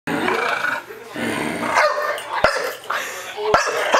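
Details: A female Chow Chow gives whiny, whimpering barks, begging for more treats after they have run out, while a person talks.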